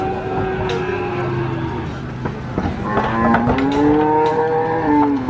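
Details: Cattle mooing on a farm while being unloaded from a truck: long, low, drawn-out moos that overlap and rise in pitch toward the end, with several voices layered over a steady rumbling background.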